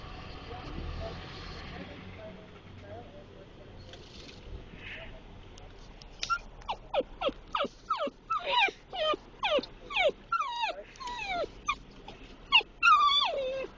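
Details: Dachshund that loves Timbits, worsening as they approach while the Timbits staff laugh at him: quiet at first, then a rapid run of short, high, falling whimpers, about three a second, growing louder toward the end.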